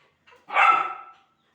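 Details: German Shepherd puppy barking angrily at not being given food: a short soft lead-in, then one loud, harsh, rasping bark that fades away over about half a second.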